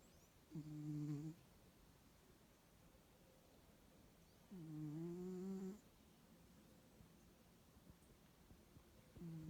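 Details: Bengal cat, described as noisy both awake and asleep, snoring indoors: low droning, nasal tones under a second long, separated by quiet pauses of about four seconds, with a faint hiss behind.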